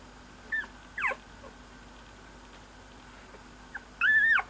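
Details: Young Cocker Spaniel gives a few sparse, thin squeaks, then ends on a longer, louder whining squeak that holds steady before dropping away; quiet pauses fall between the calls.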